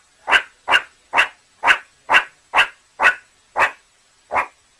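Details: Suricate (meerkat) calling with nine sharp, raspy barks in steady succession, about two each second, with a slightly longer pause before the last one and no other sounds.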